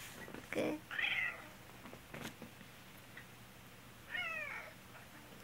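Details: Indoor black cat crying in response to its sick owner's coughing: two separate drawn-out meows about three seconds apart, the second wavering, after a brief cough-like burst, over faint steady room hum.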